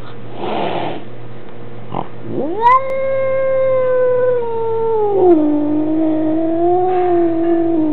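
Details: Male Maine Coon cat indoors at home, complaining about a new kitten visiting; a short hiss-like burst, then a long drawn-out yowl rising sharply, holding steady, and sliding lower with a wavering tail, recorded on a compact still camera.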